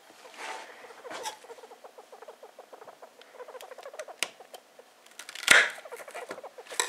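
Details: Star, a pet female hamster just over two years old, squeaking while sniffing around indoors: a fast, uneven train of tiny high squeaks, broken by short bursts of rustling and handling noise.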